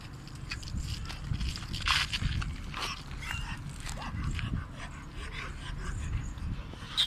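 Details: Bully Gultair dog giving short, high whimpering yips scattered through the clip, over steady low rumbling and clattering, rustling handling noise.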